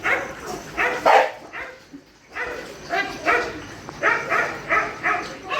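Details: Shelter dogs at night feeding time give a run of sharp, raspy barks. A brief lull falls near the two-second mark before the barking resumes in quick, evenly spaced bursts.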